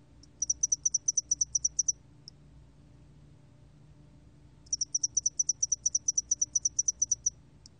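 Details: A spotted-wing hairy cricket, recorded in 2020 by Korea's National Institute of Biological Resources, gives two bursts of evenly spaced high ticking chirps, each about a second and a half long, split by a quiet gap of nearly three seconds.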